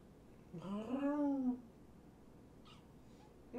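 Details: A single drawn-out, arching kitten meow lasting about a second, rich in harmonics, from one of five rescue kittens (two litters surrendered in Tacoma) at Purrfect Pals, during a late-night visit; quiet room hum follows.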